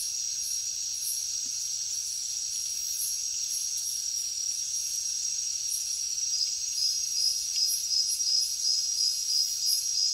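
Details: Crickets calling at night in a jungle setting: a continuous, shrill high-pitched trill held steady throughout, with a faster pulsing layer beating rhythmically above it and swelling slightly louder toward the end.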